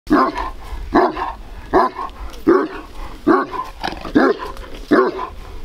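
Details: Large Bucovina Shepherd Dog with a powerful temperament, filmed in 2021, giving deep, hoarse barks in a steady series, seven barks about every 0.8 seconds with short quiet gaps between them.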